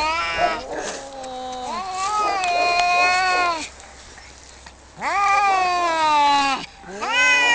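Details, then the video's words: Two male cats fighting over territory just outside a home: long, wavering, harmonic-rich yowls that swoop up then hold and sag, in three drawn-out howls separated by short quiet gaps. "Two cats fighting and making wierd noises"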